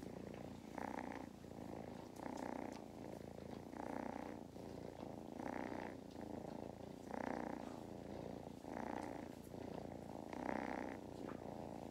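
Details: Purring kittens, Mustard and Thyme, settled on a lap at a County Kilkenny farm in Ireland; deep buzzing rumble swelling in regular breath cycles about every one and a half seconds, loud and close.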